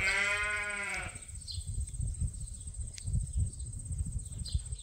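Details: Loud, strained bleat lasting about a second from a ram on Ewetopia Farms, a registered Suffolk and Poll Dorset flock, then low rumbling background with faint bird chirps.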